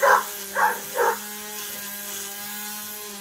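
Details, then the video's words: A playful Labrador Retriever lets out three quick, punchy barks about half a second apart, then falls quiet while a constant mechanical hum continues underneath. "Labrador playing"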